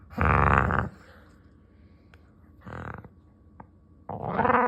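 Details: Dog making cat-like sounds indoors: three drawn-out, harmonic, meow-like moans, each under a second long, separated by quiet pauses, with a faint steady hum in the room.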